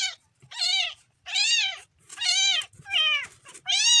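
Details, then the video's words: Third-day kitten meowing insistently, five or six loud, arching cries packed into four seconds, each about half a second long with brief gaps. "kitten funny sound"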